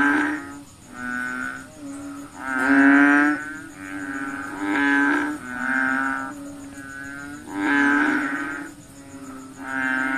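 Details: Night chorus of frogs, stated to be feeding on mosquitoes: drawn-out, cow-like lowing notes from several animals, rising and falling in loudness every second or two, over a thin continuous high-pitched hum.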